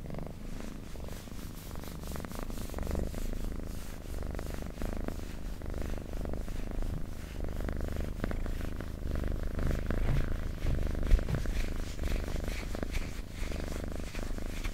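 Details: Close purr of a house cat, a low buzzing drone that barely pauses, rising and falling gently with each breath over fourteen seconds.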